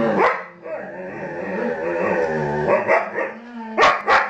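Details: Two pet huskies chatting with overlapping, wavering, moaning calls that rise and fall in pitch, almost continuous throughout, with a few sharper yelps near the end.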